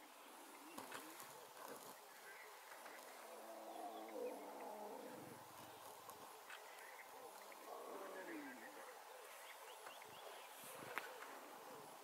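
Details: Small lion cubs, one of three in a pride at Mashatu Game Reserve, Botswana, in August, calling when hungry: faint, drawn-out wavering mewing cries in several bursts over steady background hiss.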